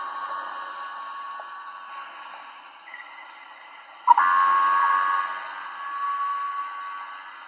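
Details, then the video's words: A minke whale gives a buzzy, metallic, humming call with a sudden louder surge, likened to a Star Wars lightsaber. "And my favorite ocean acoustic sound is the minke whale because it sounds like a Star Wars lightsaber."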